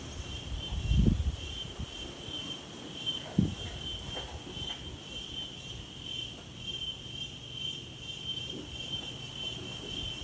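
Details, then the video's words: Daytime insect chorus in gentle wind: a continuous high-pitched buzz holds steady throughout, while gusts and low rumbling thumps come through early on. "Wind and Insects"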